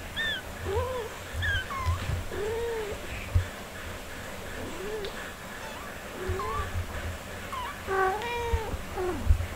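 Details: Cat mother caring for four kittens only four days old; repeated high, thin, arching mews, some rising then falling, come in quick bursts throughout, over a constant low rumble.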